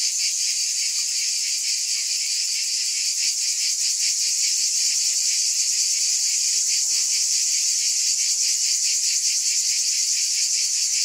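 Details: Massed cicadas producing an unbroken, hissing high buzz with quick rhythmic throbbing, constant loudness, and no other animals or noise.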